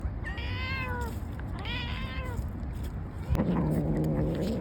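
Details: Street cats in Istanbul at feeding time, two drawn-out, slightly falling meows in the first half, then a lower, rough growl-like drone, over constant low rumbling background noise.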